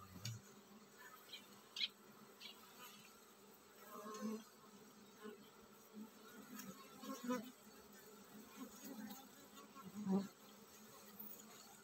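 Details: Hive of honey bees getting ready to swarm: a continuous low buzzing drone with soft irregular thuds and rustles scattered through it.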